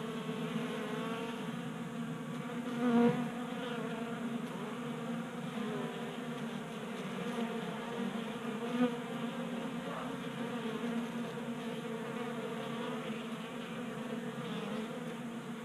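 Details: Honey bees feeding at a 3D printed tabletop feeder in a garage in Colorado during a warm January spell; a steady low buzzing hum of many bees with layered tones, brief louder swells near three and nine seconds.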